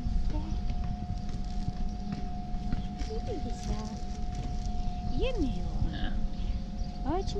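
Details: Cat with a white point on his tail, called a Damat cat, meowing because he wants affection rather than food; a few short arched meows near the end over a steady electrical hum and low background rumble.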